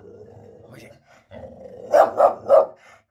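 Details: Tess, a female English bull terrier, guarding her home and reacting to noise outside: speech first, then three loud, sharp barks in quick succession about a quarter second apart.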